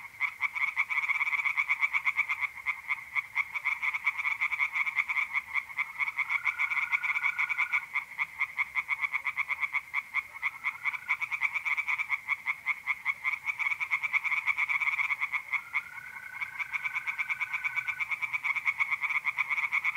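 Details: Tree frogs calling at a pond on an April night in north-east Italy, a continuous stream of rattling, pulsed croaks about three per second, with short bursts of mole cricket trilling joining in now and then.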